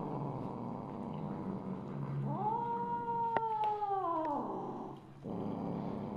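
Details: Misu, a Siamese mother cat, recorded 2 January 2015 at 8:18 PM, gives one long drawn-out meow that holds level, then slides downward and fades, with a couple of sharp clicks in the middle and a low background hum.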